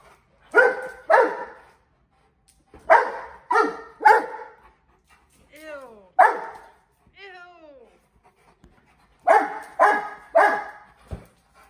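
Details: Mastiffs playing with balloons give paired and tripled loud barks separated by silent gaps, with thin squeaky sliding tones in the middle of the recording.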